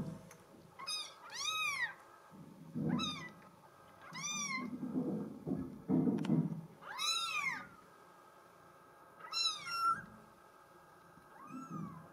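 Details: Female solid mink Bengal kitten giving a run of high, arching meows that rise then fall, roughly one every second or two, with soft low rumbling and handling noises underneath.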